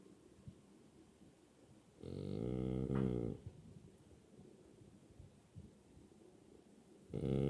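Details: French Bulldog Zunko gives an awake snore: one long, throaty, rattling snort lasting over a second, then quiet breathing, and a second rasping snore starting near the end.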